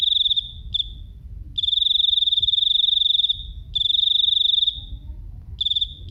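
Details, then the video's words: Very loud, piercing cricket song: long trills of fast pulses on one high pitch, some about a second long, broken by short gaps, with soft low background noise. "Suara jangkrik"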